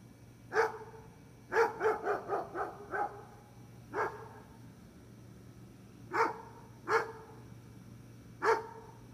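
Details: Gunner, a barking dog, gives a single bark, then a fast burst of five or six, followed by spaced lone barks every one to two seconds, in a quiet setting.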